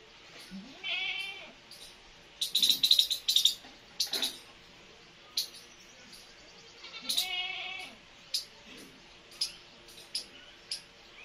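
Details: Two nursing kittens with their mother cat. High kitten meows rise and fall three times across the stretch, with a bright cluster of squeaky cries near three seconds and scattered clicks and rustles between calls.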